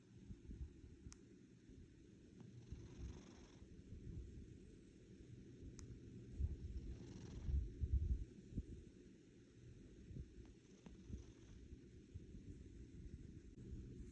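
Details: A female domestic cat purrs like an engine: a steady, deep, continuous rumbling drone with a faint pulsing rhythm.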